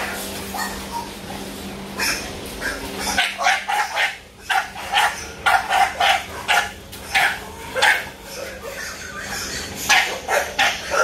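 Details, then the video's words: American Bully named Muscletone Beanstock, a series of short, sharp barks repeated roughly every half second in an uneven run after a quieter start, over a steady low hum and background music. "Bully Talk With Zeb Pits Presents Muscletone Beanstock American Bully"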